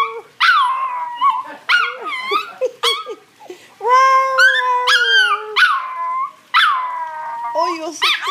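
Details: Little male chihuahua singing at length, a series of yipping, sliding howls that rise then fall, mixed with one long steady wavering note midway; a person's voice is faintly heard between calls.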